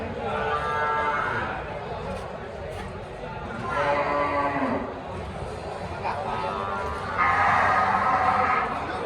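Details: Cattle of Simmental and Limousin breeds at a livestock market, giving three separate drawn-out moos spaced several seconds apart, partly masked by dense background chatter and crowd noise.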